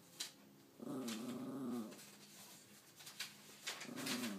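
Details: Household dog 'talking': a low, wavering moan lasting about a second, followed by a shorter similar moan near the end, with clicks and indoor background noise.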